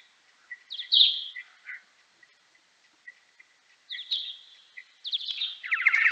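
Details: Kuhl's pipistrelle bat in time-expanded x10 playback: sigmoid echolocation sweeps dropping through the mid range, mixed with lower, rapidly repeated type D social calls in bursts, with quiet gaps between groups and a final dense social-call sequence.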